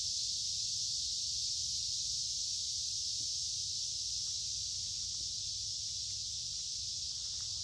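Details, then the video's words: Summer cicadas, many together, singing in creekside woods on a warm humid day; a constant sizzling high drone with a few faint soft ticks and clicks below it. "Walking along a Creek with lots of Noisy Cicada Insects Singing in Summer"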